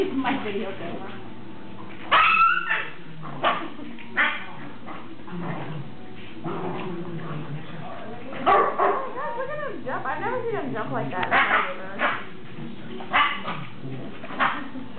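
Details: Ten-week-old greyhound pups playing with their mother, giving short high yips and barks scattered through the clip, with people talking and laughing over the play.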